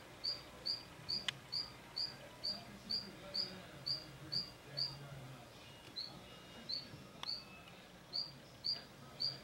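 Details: Adults and froglets of Mantella ebenaui feeding together; bright, high-pitched chirps follow one another at a slightly uneven pace of roughly two per second over a low background hiss, with a couple of faint clicks.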